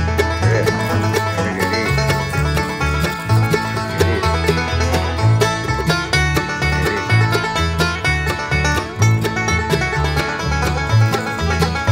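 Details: Bright banjo-led bluegrass music plays throughout, with steady plucked strings over a bouncing bass line and no animal voice anywhere.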